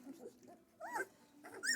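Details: Central Asian Shepherd Dog puppies at their first feeding in a barn kept at 15 Celsius; short rising-and-falling whimpering squeals, two higher whines near the end, over a faint steady hum.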